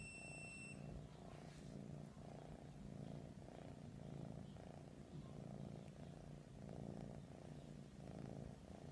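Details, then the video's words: Persian cats cuddling, with a low, steady rumbling purr pulsing in slow rhythmic waves, each swell lasting about a second; a brief faint high beep sounds at the very start. "Persian Cats Cuddling"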